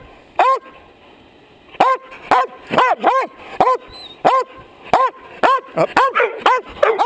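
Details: A dog barks right into a chest-mounted camera, loud and sharp in quick repeated bursts, its nose bumping the camera a few times.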